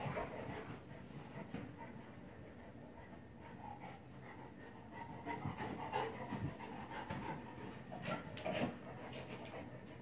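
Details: Neapolitan Mastiff puppy, four months old, exercising with a ball, panting steadily about twice a second, soft and breathy, with light bumps and rustling in the background.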